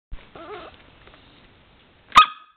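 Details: A two-and-a-half-month-old Pembroke Welsh Corgi puppy, play-biting as its back teeth itch, gives a short wavering whine, then one sharp, high yip.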